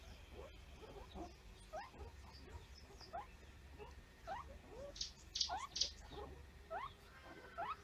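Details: Banded mongoose (Mungos mungo) pup, suspected viral infection and seemingly paralysed, gives rapid, thin squeaks, each sliding upward, repeated irregularly over a low hum.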